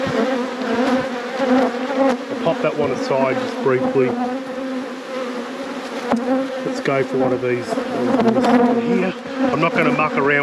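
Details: Honey bees in a thriving hive during an apiary inspection: a steady low buzzing hum with layered harmonics runs throughout, while a man's voice talks over it much of the time.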